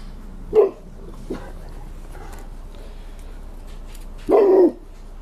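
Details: Five-year-old Rottweiler and ten-month-old Bullmastiff pup playing in the snow, catching snowballs and eating snow; one short sharp bark early, then a longer, lower woof about four seconds later, with quiet rustling between.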